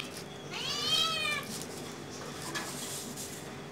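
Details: Cat while hunting a small bird gives a single rising-then-falling meow lasting under a second, followed by soft rustling and light clatter.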